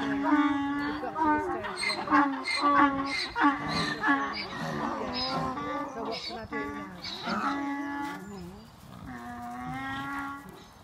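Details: Donkey bray-off at a Manchester sanctuary, 21/04/2018: loud, nasal hee-haws from overlapping donkeys, with quick rasping inhalations alternating with drawn-out honks, fading into long sustained notes toward the end.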